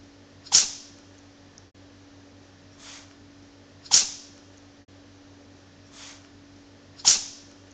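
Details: Looped indoor recording of Bok the cat sneezing: loud, breathy, high-pitched sneezes roughly every three seconds, each followed by a fainter one, over a constant electrical hum.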